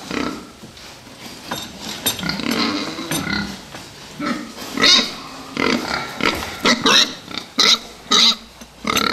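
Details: Fattening pigs in a group, giving a dense run of rough squeals and grunts that turn into loud, clipped, high-pitched squeals in quick succession toward the end.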